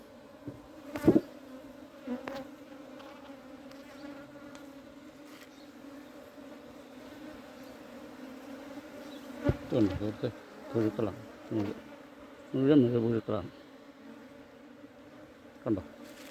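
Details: Honey bees humming at a hive that is being cleaned in summer; a steady low drone with a strong overtone runs throughout, broken by short bursts of a man talking in Malayalam.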